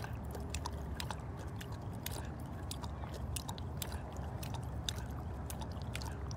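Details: A cougar at a big cat rescue sanctuary, around breakfast time, gives a deep, steady purr that rumbles low beneath sharp clicking and chewing-like sounds.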